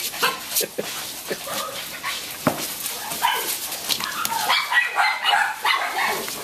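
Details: Puppies of SilkyTon and HavaTzu crosses offered in central Pennsylvania, giving short high yips and small barks in quick irregular bursts, with busy background noise throughout.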